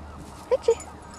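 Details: Female Vizsla puppy, 13 weeks old, at playtime with friends: two brief, squeaky whimpers in quick succession, each a clean tone lasting a fraction of a second, over low background hum.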